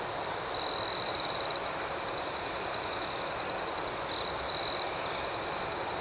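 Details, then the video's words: Crickets chirping at night outdoors: a bright, high, pulsed trill lasting about a second, then two shorter bursts near the end, over a steady shimmering chorus of more distant insects. "Soothing Cricket Sounds"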